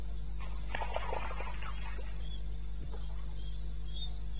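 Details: Eastern Botswana wilderness at 2:30 AM on 21 May 2016: crickets produce high pulsed chirps in repeated bursts while another animal briefly adds rough, mid-pitched chattering calls, all over a constant low hum.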